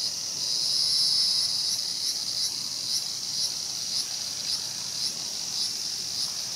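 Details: ['Cicada held by a feeding mantis at Showa Kinen Park, Tokyo, 2020; a high hissing buzz carries soft rhythmic pulses roughly twice a second, swelling early then steadying.']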